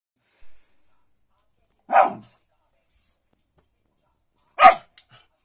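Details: Saint Bernard dog giving two short, loud barks roughly two and a half seconds apart, with a faint brief sound before them and quiet between.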